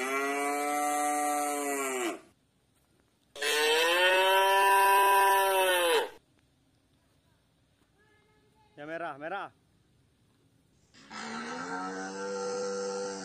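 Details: Tame white village cattle wandering loose in a garden moo repeatedly: two long, harmonic-rich lowing calls, then a brief wavering higher sound, then a further sustained moo. Quiet gaps fall between the calls.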